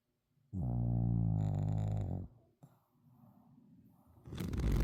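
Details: Sebin, an exhausted Shih Tzu, lets out a long, resonant, buzzing snore lasting about two seconds. Gentle snuffly breathing follows, then a burst of rustling noise at the end.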